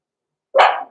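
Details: Six-week-old blenheim Cavalier King Charles Spaniel puppies, Roman and Blue, born November 14, 2022, in a home puppy pen: a single short, bright yappy bark that starts sharply after silence and fades within half a second.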